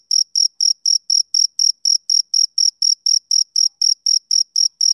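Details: Steady chirping of a male cricket on a summer evening, bright high pulses evenly spaced about four per second against a silent background.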